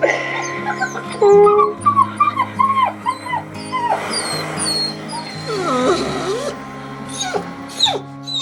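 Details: Puppies, half-siblings of a blind dog, played back from a computer recording made at their father's home: repeated high, thin, wavering whimpers and short yips, some sliding up then down, over steady background music indoors.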